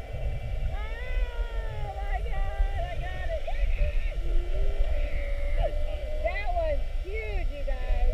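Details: Whales recorded underwater during a classic mugging, spy-hopping repeatedly around a whale-watch boat for an hour on 2-21-19; many curving whistled and squealing calls rise and fall over a steady low boat rumble and water noise.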